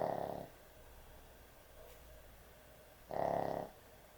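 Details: Sleeping pet dog indoors, snoring heavily at bedtime; two rough, buzzing snores about three seconds apart, each lasting around half a second, with quiet room hiss between.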